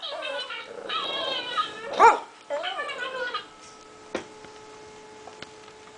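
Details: Toby, a 5-month-old pet pug, barks when he hears other dogs barking: a burst of harmonic barks and yips over the first three seconds, with one loud sharp bark near two seconds, then quieter clicks over a steady electronic hum.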